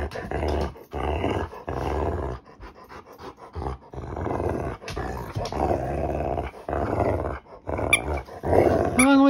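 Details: Female Rottweiler in a mood, growling in rough, rumbling bursts about a second long, broken by short pauses, while a woman talks to her; a squeaky toy-like whine near the end.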